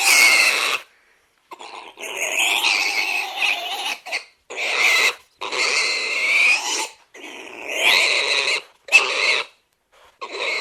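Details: Shrill, harsh squeals from a domestic pig in a run of uneven bursts, some long and wavering, others short, broken by quick gaps of silence.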